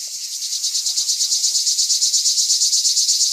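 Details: Cicada (cigale de pin) at Rivesaltes, 2013, producing a steady high-pitched rasping buzz beaten into rapid regular pulses, roughly three per second, with faint chirps underneath.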